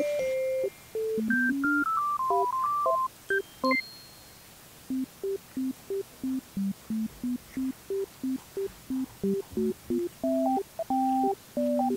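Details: A bright synthesizer melody plays a bouncy tune of short repeated notes, with no animal sound present.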